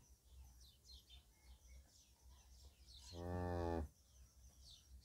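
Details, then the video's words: Cattle, a young calf sleeping beside its mother: a single low, rich, harmonic moo lasting under a second, standing out over steady high chirping of many small birds and a faint low rumble. "العجل الصغير ينام بجانب أمه The little calf sleeps next to its mother"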